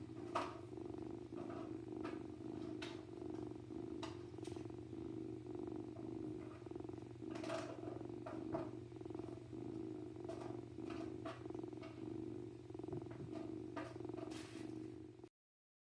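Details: Young male domestic kitten purring while being handled indoors; continuous low purr with regular breathing cycles, punctuated by short clicks and rustling handling noises, ending abruptly.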